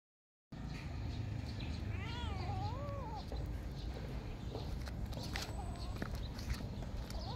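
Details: Domestic cats at morning feeding time; a clear drawn-out meow with rising and falling wavering pitch, followed by a shorter second meow, over steady low rumbling background noise and scattered clicks.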